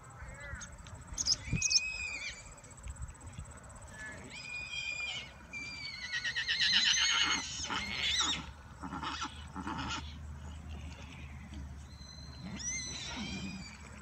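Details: Several excited Falabella miniature horses whinny repeatedly, high quavering calls overlapping across the stretch, mixed with a person's voice and outdoor background noise.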